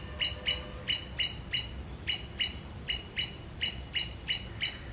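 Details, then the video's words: Squirrel from Sri Lanka giving a warning signal towards an enemy, a run of loud, even, chirp-like chips, roughly three per second with brief pauses between short bursts, against a quiet backdrop. "Sri Lankan Squirrel making sound and giving Signal towards its enemy"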